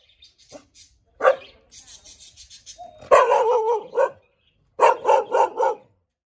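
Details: Barking from a Thai Bangkaew dog: soft whines and yelps at first, then a louder drawn-out bark run, and a final burst of four quick harsh barks.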